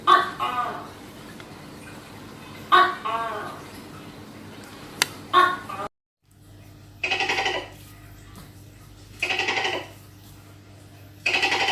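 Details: Tokay gecko making abrupt two-part barking calls, repeated a few seconds apart, followed after a sudden cut by three loud blocky noisy bursts over a low hum.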